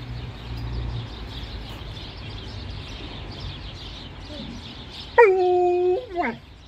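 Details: Alaskan Malamute getting ready for its first car ride of the year, nudging vocally: after a stretch of quiet low rumble, one drawn-out steady whining howl lasts about a second and drops sharply at the end, then a brief second whine.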